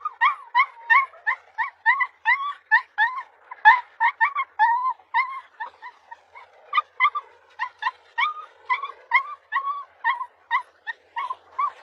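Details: Husky puppies in a compilation, giving rapid high whimpering yips with bright harmonics, repeated several times a second in quick bursts without pause, several small voices overlapping.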